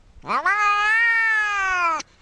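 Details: Domestic cat giving one long drawn-out meow lasting under two seconds, rising sharply at the start then holding a steady, slightly falling tone before stopping abruptly; quiet background.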